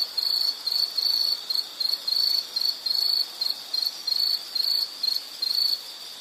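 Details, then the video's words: Insect calling in short, shrill bursts of high trilling, each separated by a brief gap, about twice a second in an uneven rhythm. Quiet background. "Sound · Nature Sound of nature sounds scenery L · insect"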